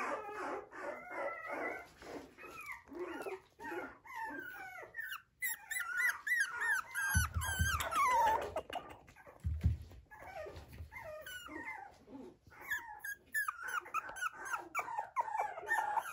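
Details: Poodle kept by a breeder in Okayama, Japan, giving a long run of excited overlapping yelps and squeaky whines, pitch jumping and bending, with a few short low thumps midway and a brief quiet pause.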